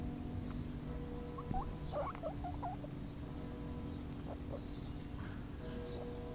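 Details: Four-week-old baby guinea pig standing on a lawn outdoors for the first time, giving short, soft, upward-sliding squeaks in small clusters, with quiet gaps and a low steady hum underneath.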